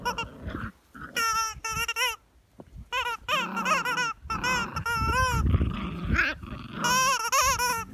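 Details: Jack Russell Terrier puppies, eight weeks old, play-fight with their mother, trading rough growls and a stream of high, wavering yelps and whines in quick irregular bursts, with a short quiet gap midway.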